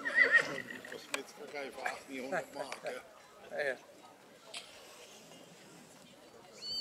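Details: Black Forest draught horse filly foal Feine Rosella, born 27 April 2022, shown at the St. Märgen foal show on 11 August 2022 and rated gold foal; a loud, quavering whinny of shaking descending pulses over people talking and hoof clops.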